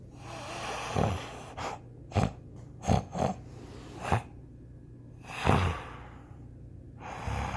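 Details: Rottweiler. A sleeping Rottweiler snores with low, rasping snorts and breathy gasps. The noisy breaths come in uneven bursts roughly every second, with a faint hum in the background.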